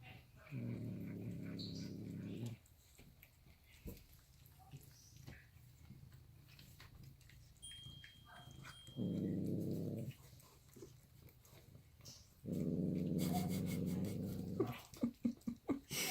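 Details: Reina Meana, a domestic cat, growls while eating indoors: three long, low, rumbling growls of about two seconds each, with quieter eating noises between them and a few sharp clicks at the end.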